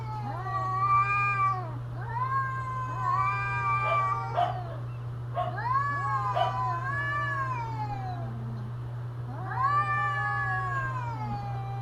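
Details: Drawn-out mating-season yowls from cats, long bending wails in bursts separated by short pauses, two voices sometimes overlapping, a constant low hum underneath throughout.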